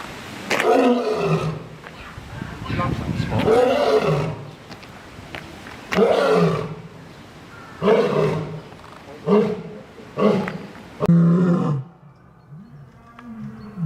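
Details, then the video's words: Lion in a roaring bout: a row of short, punchy, grunting roars that come every one to two seconds and fade toward the end, leaving a quieter low rumble. "Lion Roar Compilation: Nature’s Most Powerful Sound"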